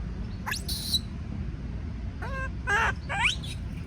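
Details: Monkey; scream; distress of a young monkey afraid of being alone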